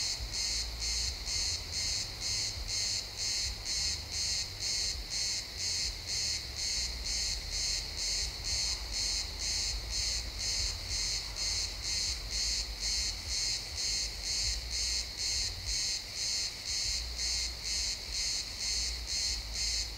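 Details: Chirping crickets in pine woods at sunset, stereo recording in real time: rapid, regular high pulses repeating roughly twice a second throughout, with a soft low-frequency hum of distant ambience beneath.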